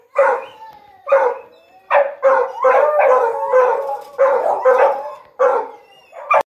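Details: Pack of hunting dogs learning to chase paca bay in emphatic howling bursts roughly every second, with a steady high tonal whine running beneath and a few sliding notes between barks.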